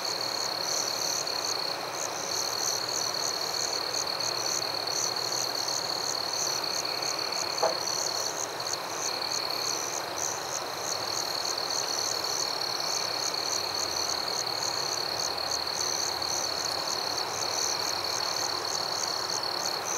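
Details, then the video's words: Night crickets in a forest keep up a continuous high-pitched trill with regular pulsed chirps above it; a single brief click stands out near the middle against a faint hiss. "Crickets at Night"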